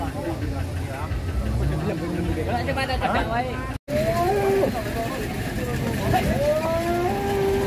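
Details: Big cattle being loaded onto a tronton truck after a Purwokerto buyer took 25 head: several long, level and gently bending moos, a brief dropout midway, with people talking and engine rumble underneath.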